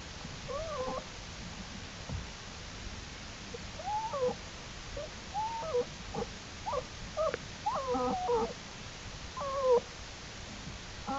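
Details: Jewel the American black bear's cubs following her outside the den and exploring, April 2, 2012; a series of short wavering tonal squeals, about eight, spread through the passage against a soft background hiss.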